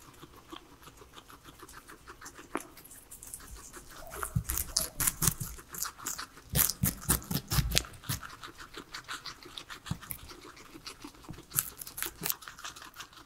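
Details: Vegetables are crunched by three pet guinea pigs eating their salad; soft nibbling swells into a loud run of rapid, crisp bites in the middle, then eases to scattered crunches, without talking or music.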